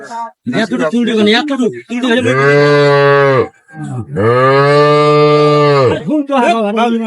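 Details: Dairy cows and calves of an improved breed at Ambari cattle market, Dinajpur, on 23/5/25: two long, deep moos, each about one and a half seconds and steady in pitch, separated by a short pause, with brief talk before and after.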